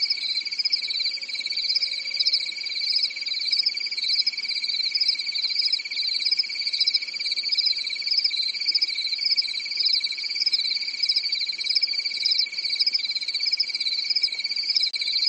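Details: Summer-night crickets in Europe keep up a relentless, high, rapidly pulsing trill chorus, several pitch layers sounding together without pause, and a faint steady lower tone drifts in and out.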